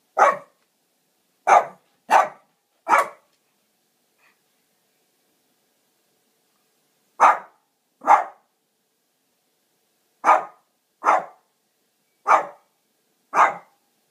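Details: A Shih Tzu demanding a drink of water with clusters of sharp single barks, four in quick succession, then two, then five more. Quiet pauses separate the groups, and nothing else is audible.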